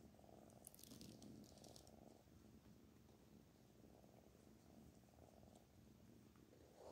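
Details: A cat called Black Panther purrs steadily in a small room, a low rumbling drone in slow breathing cycles. A short rustle comes near the start.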